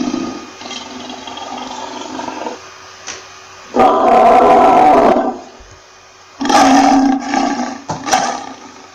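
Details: Lion with a low drawn-out growl at first, then a sudden loud, gravelly roar lasting about a second, a quiet gap, and a second roar followed by short grunting bursts.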